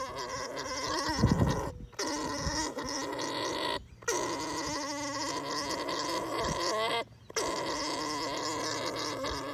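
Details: Gargling, droning alpaca mating call during breeding, held steadily with short silent gaps every two to three seconds. Some low thuds come early on.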